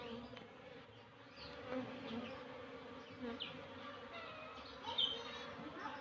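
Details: Honey bees, Apis cerana, at a kept hive, making a rumbling drone; a steady low hum with faint overlapping buzzes of individual bees passing and a few brief higher whines.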